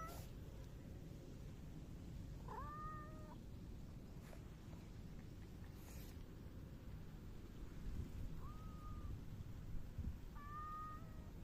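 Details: Three clear, even-pitched meows spaced several seconds apart come from a silver tabby cat rubbing affectionately against someone on 12 August 2024, with a low steady rumble and a few soft knocks behind.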